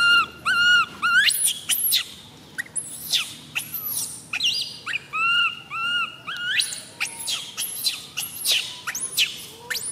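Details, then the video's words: MoMo, a tiny baby monkey, crying as she falls down: arched, whistled wails in quick pairs and triplets, mixed with piercing high squeals, about two calls per second. "Tiny baby monkey MoMo falls down while she crying."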